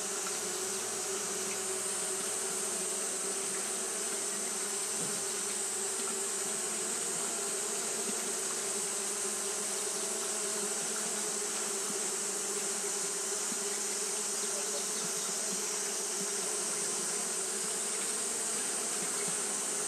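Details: Japanese honey bees fanning nonstop on a hot day, a long steady humming drone with bands near 200 and 400, slight flickers within the mass of buzzing, no other sounds.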